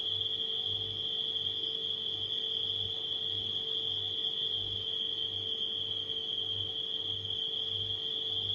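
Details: High continuous cricket trilling at night sits above a refrigerator's humming, which pulses low and regular underneath a fainter steady mid tone.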